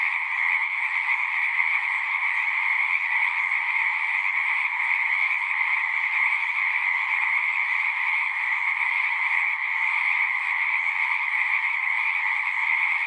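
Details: Singing frogs calling together in a thick, continuous chorus: an unbroken shrill trilling made of overlapping voices, steady in pitch and loudness from start to end.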